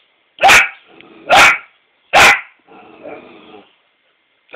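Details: A 4-month-old female Australian Shepherd puppy barking at her reflection in a mirror gives three sharp, high yaps roughly a second apart, with soft growling between them.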